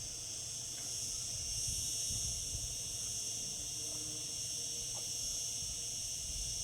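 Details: Summer chorus of cicadas, a continuous high sizzling hiss that never breaks, layered over soft low rumbling background noise.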